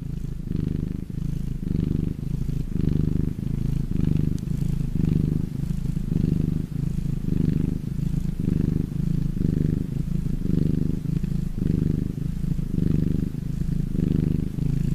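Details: Domestic cat purring when happy: a deep, steady rumble that swells and fades in regular breathing cycles, almost one per second, over fifteen seconds with no other sounds.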